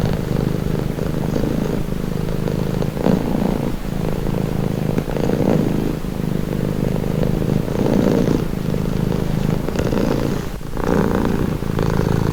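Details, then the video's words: Cat purring continuously, a low throaty vibration rising and falling with each breath, brief quieter gaps between cycles and a soft click near the end. "Purring cat"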